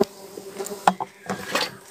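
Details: Hive-box stingless bees (klanceng), Laeviceps and Biroi x Laeviceps hybrids, opened for honey harvesting give a constant low drone, interrupted by sharp clattering knocks from the harvest work.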